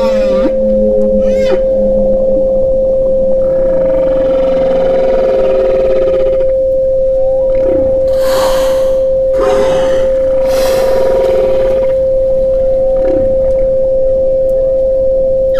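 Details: Powerful whale sounds meant for meditation: groaning harmonic calls, a long wavering moan, then several broad roaring bursts in quick succession, beneath a continuous steady pure tone.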